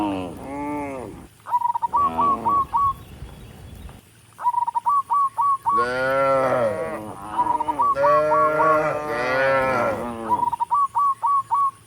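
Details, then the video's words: Moos from dozens of tame cattle walking a rural road to the barn, calling other cattle. Several long, wavering bellows alternate with short bursts of five rapid, high chirps repeated between them. "Dozens of tame cattle are walking up the rural road toward the barn, and the sound of mooing"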